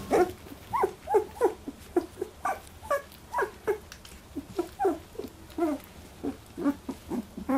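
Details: Labradoodle puppies, 18 days old, in their first milk fight: a busy run of short, harmonic, wavering squeaks and grunts, about twenty in under eight seconds, overlapping as several pups jostle.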